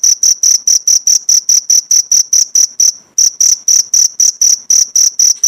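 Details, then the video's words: Cricket chirps for songbird tutoring: high, piercing pulses in a quick series, breaking off for a brief pause near the middle before resuming at the same rapid, even pace. "Masteran jangkrik untuk isian burung pleci mewah jeda 1-2 menit"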